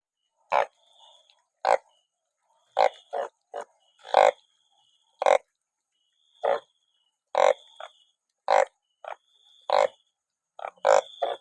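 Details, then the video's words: Banded bullfrogs out in large numbers after rain, being caught by the sackful; short, nasal, honking croaks come at irregular intervals of about one to two seconds, with a faint steady high whine behind them. "อึ่งอ่าง เยอะจัง😮ฝนตกจับอึ่งได้เป็นกระสอบ"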